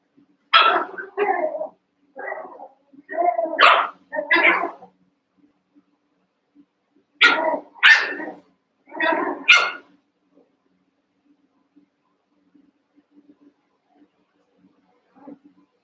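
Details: Cavalier King Charles Spaniel puppies at play, eight of them sharing a pen: two bursts of high, yappy puppy barks in quick runs of four or five, separated by a short quiet gap and faint shuffling.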